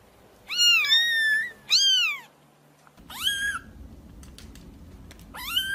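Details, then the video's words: Kitten meows used as a cat-calling sound: two drawn-out wavering cries, then a shorter meow and another after a pause, bright and high above a low steady hiss. "SUARA PEMANGGIL KUCING, 100% AUTO NONGOL"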